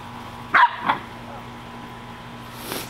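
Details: Corgi named Ventus barking twice in quick succession, short and sharp, while playing with a soccer ball as big as himself in the backyard; low hum underneath and a soft rustle after.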